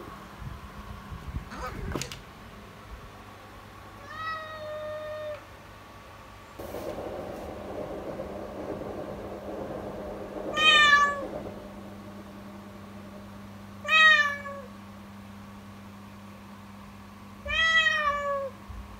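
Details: Kitten named Yukimi crying persistently in the morning with a frightening, distressed voice; five drawn-out harmonic meows spaced a few seconds apart, falling in pitch at the end, over a steady indoor hum and a brief rustle.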